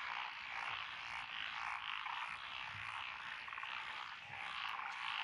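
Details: Short stretch of a frog chorus from lotus paddy fields in Echizen, Fukui Prefecture, June 12, 2021. Many croaking voices blend into a dense, pulsing drone that swells and dips slightly in loudness.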